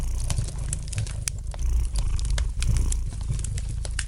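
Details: Domestic cat purring gently beside a fireplace: a steady low rumbling purr that swells and eases in slow pulses, overlaid with sharp, scattered crackles and pops from the burning fire throughout.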